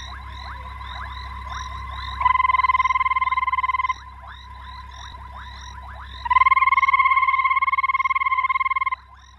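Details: Banded rubber frog (Phrynomantis bifasciatus) gives long, even, ringing trills lasting a few seconds each, over a chorus of other frogs.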